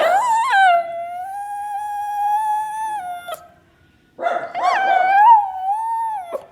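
A dog gives two long, drawn-out howls, each wavering slightly in pitch before breaking off.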